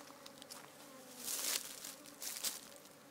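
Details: African honey bees in a very busy hive hum steadily at a low pitch, broken by brief hissing, crackling bursts.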